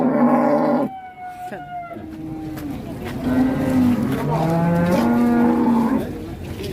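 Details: Enraged cattle, Indonesia: loud, hoarse lowing in several bursts, a strong bellow, then a pause and a longer wavering moo that dips and rises before trailing off.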